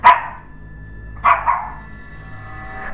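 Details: Shih Tzu indoors barking at what its owner jokes is a ghost: two sharp, bright barks about 1.3 seconds apart, the second with a short trailing tail, over a low steady room hum.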